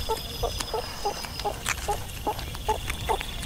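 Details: Meerkat calling: short nasal chirps repeated about three times a second in a steady series, with rustling and faint background hum.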